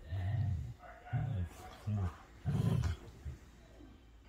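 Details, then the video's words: Play-fighting huskies trade short, pulsing low growls, four or five gruff bursts of about half a second each, separated by brief pauses, in a small indoor space. "do your dogs play fight like this? the HUSKY DANCE OF TEETH"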